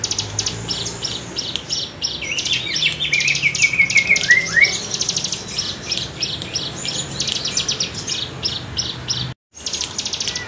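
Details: Wavy bren cigun cicada chorus used as a songbird tutor: continuous high sizzling pulses throughout, a brief descending whistle from another bird near the middle, then a short silence before the buzzing resumes.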